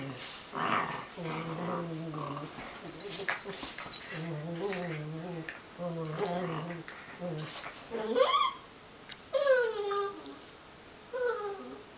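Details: Two dogs at play, a wire-haired Dachshund mix and a rescued Schipperke/Dachshund mix: a run of low, throaty growl-whines in short repeated bursts, then several high rising whimpers and yelps toward the end, with scuffling between.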